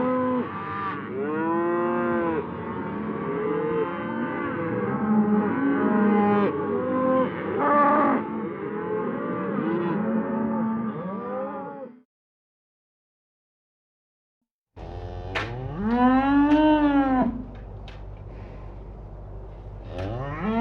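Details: Cows on pasture mooing: a busy overlapping herd chorus for about twelve seconds, a brief silence, then one loud, clear moo that rises and falls in an arch, followed by quieter lowing.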